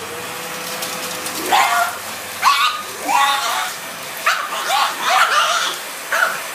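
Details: Pet pug indoors, attacking a running vacuum cleaner and biting at the air it shoots out the side, as it does every time the machine is switched on. It gives about seven sharp, snappy barks in quick bursts over a steady mechanical drone.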